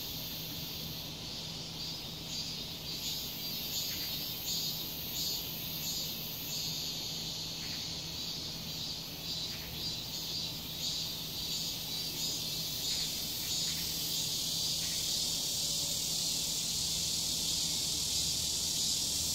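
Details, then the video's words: Cicadas in summer in a residential complex fill the air with a loud, shrill, high-pitched buzzing that swells and pulses steadily. "매미 소리 우렁찬 여름~♡♡"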